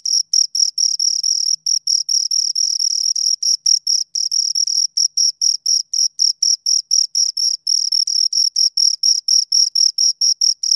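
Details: Steady chirping from two crickets recorded at close range, shrill bursts packed densely at roughly four a second, some running together, with no other sounds.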